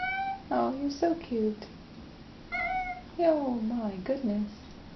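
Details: Indoor male cat asking to be let outside at the door: a run of clear, loud meows, each bending downward, some in quick pairs, with a short pause midway and no other sounds.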